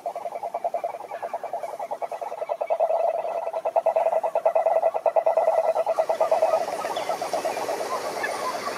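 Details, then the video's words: Continuous fast pulsing trill of a croaking toad, mid-pitched and rhythmic, rising in loudness toward the middle and then dropping away into soft background hiss. "Som do Sapo Coaxando"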